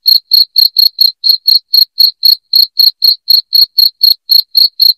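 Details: Rat-repelling cricket sound: a loud cricket chirping without pause, each chirp a brief piercing pulse, about four per second, in a steady rhythm with no other sounds.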